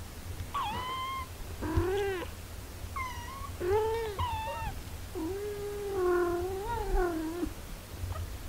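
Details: A mother cat busy caring for her healthy eight-day-old kittens; a run of clear, tonal meows, several short and arched, ending in one long drawn-out wavering call, with a faint low hum beneath.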